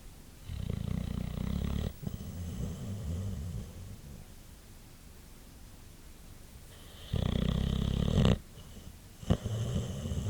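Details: Sleeping white boxer dog, Champ, worn out after a long day, giving deep guttural snores: a long rattling snore, a quiet stretch of soft breathing, then another loud buzzing snore and a short snort.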